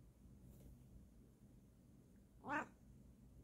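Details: Female Bengal cat indoors, answered by her owner's chatter: one brief, sharp rising meow near the end of a mostly quiet stretch with low background hum.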